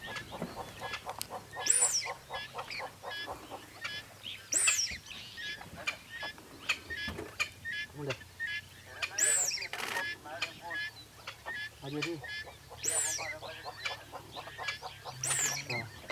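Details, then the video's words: A male dik-dik gives sharp, nasal whistled alarm calls repeatedly after seeing a leopard about 10 meters away in Olare Motorogi Conservancy, Kenya. "Dik Dik alarm calls after seeing a nearby leopard"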